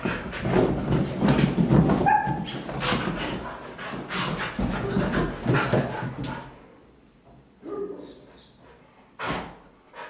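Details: Pet Siberian Huskies playing wildly together on a couch, making rough, broadband growling and scuffling noises for about six seconds with a brief higher whine, then quieter with a couple of sharp thumps.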